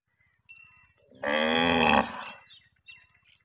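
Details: A cow grazing grass in a field in a village gives a loud, drawn-out moo lasting nearly a second, with quieter sounds before and after.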